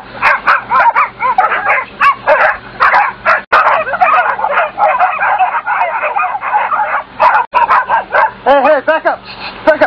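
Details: A pack of German Shorthaired Pointer hunting dogs barks and yelps frantically in dense, overlapping bursts while a man shouts, just after the dogs turn up a badger while hunting.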